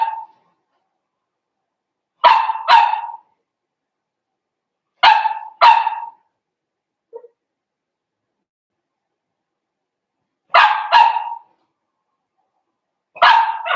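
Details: Blenheim Cavalier King Charles Spaniel puppies, from a litter of five born to Paris and Spike at New Year's, in a home puppy pen on pick-up day: sharp barks in quick pairs, repeated every few seconds with silent gaps.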